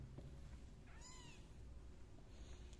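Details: Kitten placed in a pot as the anxious mother cat comes to lick her young; a single short, bright meow with stacked overtones, low hum throughout.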